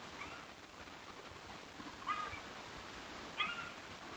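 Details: A bobcat gives two short, mewing calls over a steady background hiss; the recordist wonders whether it is a mating call.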